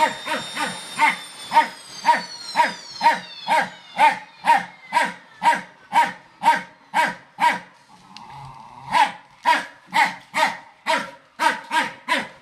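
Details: Fox Terrier barking at a vacuum cleaner: steady, rapid barks about twice a second, each a short sharp burst, with a whining high tone from the machine early on and a brief pause mid-way.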